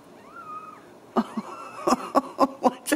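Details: Ragdoll kittens at a home cattery in central Kansas give two thin, arched meows, the first longer and level, before a burst of loud, choppy human voices and laughter takes over.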